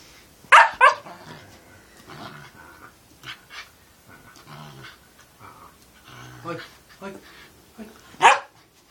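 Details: Siberian Husky puppy playing with his father: two sharp high barks open the sequence, followed by low grumbling growls and soft vocal mutterings, then another loud bark near the end, with human voices mixed in.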